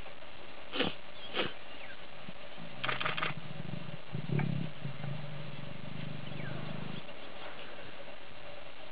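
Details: Lioness attempting to lure an uninterested male lion to mate: a deep, low rumbling growl lasts about three seconds, preceded by a few sharp clicks and brief noisy bursts.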